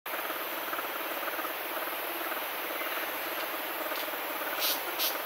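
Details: Orphaned bear cub humming beside a human it appears to treat as its mother: a low, steady throaty pulsing of rapid, even beats at one pitch, under a constant broad hiss, with two faint high clicks near the end.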